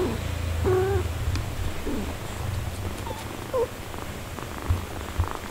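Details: Low, throbbing purr from a mother cat looking after her four-day-old kittens. Several short, thin kitten mews and tiny squeaks rise briefly above it, the first one clearer and more tonal.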